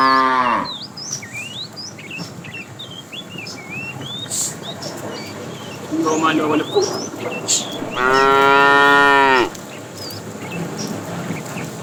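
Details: Cows wandering a road looking for food: a short falling moo at the start, a softer call midway, then a full sustained moo, with birds chirping constantly behind.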